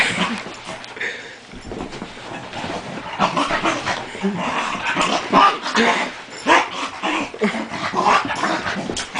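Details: Cocker spaniel play-fighting with its owner, giving a dense run of short whimpers, yips and growly noises throughout, with human voices and a friend's laughter mixed in.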